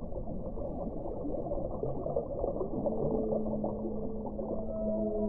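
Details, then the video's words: Whale calls: after a noisy, rumbling start, several long steady tonal notes appear at different pitches and overlap, a flat low tone continuing to the end under a dense murky background. "1 ora di suono delle balene"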